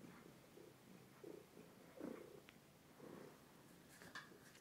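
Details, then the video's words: Domestic cat, a two-year-old overweight male, recorded indoors on a phone: soft, quiet purring in rhythmic low pulses roughly every second, with faint clicks near the end. "Кот Тишка мурчит в тлф"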